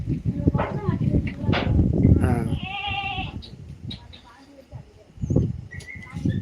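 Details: Native country goats bleating: a couple of quavering, nasal bleats rise above low rumbling noise and people talking nearby.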